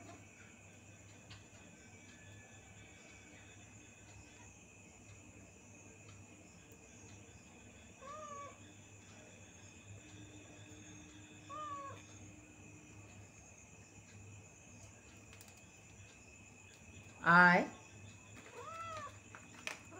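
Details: A cat mews several times, short faint rising-falling calls spaced a few seconds apart, then one loud meow and a final softer one near the end, over a quiet steady background hum.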